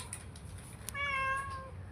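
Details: A pet cat, described as fierce, once having brought a pigeon to eat and sitting up on the slab roof, gives a single clear drawn-out meow over a low indoor hum.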